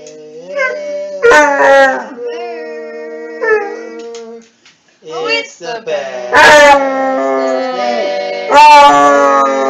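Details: Basset hound from a funny compilation, howling in bursts: wavering drawn-out notes broken by short gaps and sharp loud yelps, with a brief pause midway.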